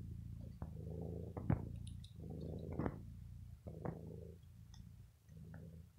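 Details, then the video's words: Bella, a sick domestic cat, keeps purring while biting a sweater in evening play after pampering. Rumbling purr in uneven bursts about every second and a half, with sharp clicks from biting and cloth movement. "MY PURRING CAT 😸 BITES MY CLOTHES 👚"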